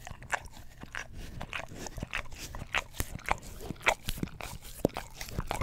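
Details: English Cream Golden Retriever lapping at an Orapup tongue cleaner brush by a stereo microphone; crisp wet clicks and sticky smacks in quick irregular bursts, with a few brighter squeaky licks.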